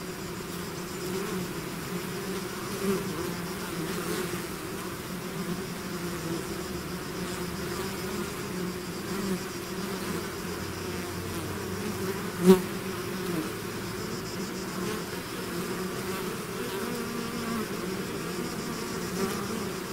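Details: Steady low hum of a bee swarm emerging from the hive, softer and even, broken by a single sharp click-like tap near the middle.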